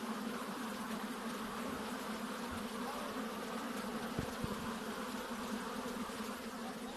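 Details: Continuous humming of many honey bees, a thick, even drone with a low buzz beneath it, plus a couple of brief soft taps partway through.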